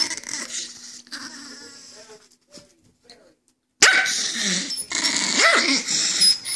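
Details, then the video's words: Angry chihuahua: a low, steady growl at first, a near-silent pause, then loud, harsh, high yapping barks with rising and falling cries to the end. "Angry chihuahua"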